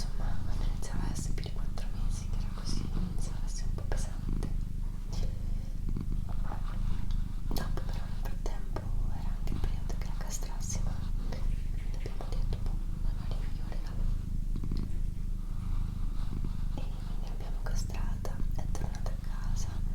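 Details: A deep, rhythmic purr from the female cat Doroti, each breath cycle clearly audible, accompanied by quiet whispered speech and small clicking mouth sounds.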